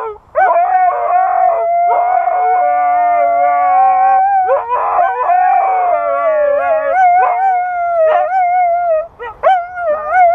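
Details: A husky "sings" in a long, wavering, mid-pitched howl, sliding up and down with a few breaks.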